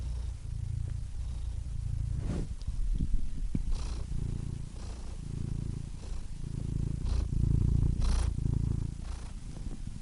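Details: Quieter, uneven cat purr, a soft rumbling hum with looser rhythm, interrupted by a few sharp clicks and brief rustling sounds.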